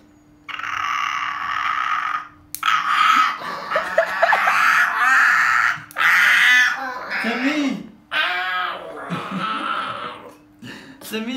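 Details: Puppy protesting while its nails are trimmed, letting out loud, drawn-out, strained wailing cries in long bursts with short breaks between them. The cries build and break up toward the end, with a short human word at the close.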